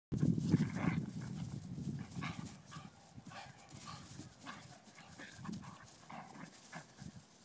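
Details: A ten-week-old blue nose Pit Bull puppy and a five-year-old Vizsla playing together; low rumbling growls open the clip, followed by scuffling, thumps and short broken bursts of noise as the two dogs tussle.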